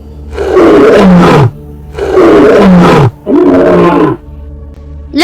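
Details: Lion roaring, from a children's lesson naming wild animals: three deep, grunting roars in quick succession, each about a second long and falling in pitch at the end, with a low hum beneath and a brief rising tone closing the sequence.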